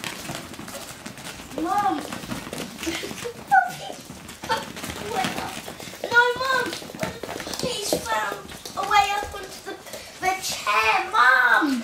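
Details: Russian Toy puppies at play indoors give a string of high, bending squeals and yips, clustering thickly in the second half, while people talk and a child's voice is heard over shuffling noise.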